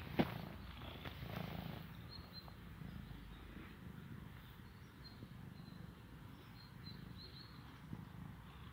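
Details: A cute but rather timid small cat hugs briefly and purrs a quiet, deep, even rumble, softer than before, after a short sharp click at the start.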